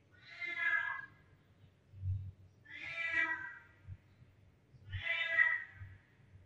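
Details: Kittens meowing a lot, from all directions: three drawn-out, harmonic meows roughly two seconds apart, each rising then falling, over faint low thumps in the room.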